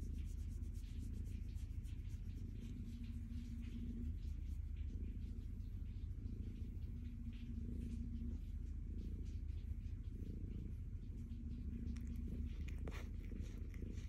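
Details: Stella, a calico cat, happy as she is petted, gives a low, even rumbling purr with rhythmic pulses throughout, over intermittent tonal hum and light brushing noises.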